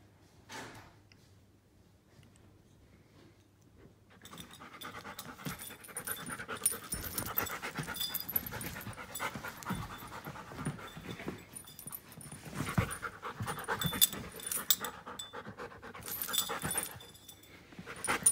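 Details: A quiet opening of about four seconds gives way to fast, breathy panting from Klara, a one-year-five-month-old giant schnauzer, which continues steadily and grows louder toward the end, with a thin high whine-like tone in the background.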